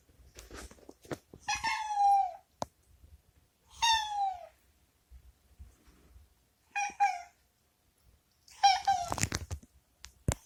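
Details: Boku, a rescued former stray, meows to be released from the bathroom he dislikes; four drawn-out falling meows, the last rougher and broken, separated by quiet pauses with light knocks and rustling.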